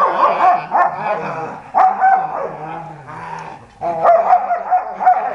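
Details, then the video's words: Pet dogs at play: bursts of harsh, harmonic barks and yips with low growling between them, in loud clusters with a quieter gap around three seconds. "How my dog plays"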